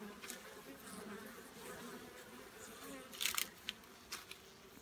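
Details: Soft continuous drone of giant honey bees kept for honey harvesting, a low hum with a fainter overtone, interrupted near the end by a few sharp clicks.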